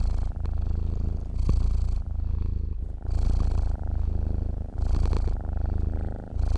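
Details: Sleeping pet cat purrs in a steady low throb, its volume dipping briefly between breaths, with soft airy breathing layered on every other phase.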